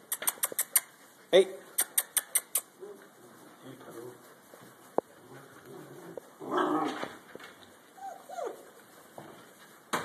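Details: Ten-week-old Great Dane puppies give short yelps and whines among sharp tapping and clattering, with a person speaking.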